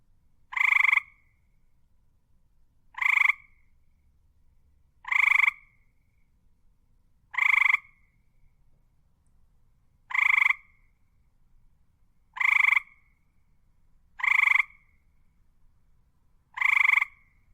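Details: Frog croaking in eight evenly spaced bursts, one about every two seconds, each a short nasal rasping croak with a bright ringing tone over a quiet, otherwise empty background.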